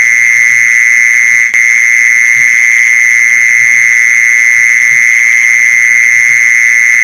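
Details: Loud, sustained mole cricket trill for luring mole crickets, an even, unbroken purr at fixed pitch with a higher overtone, a brief click near the start; faint low thumps underneath.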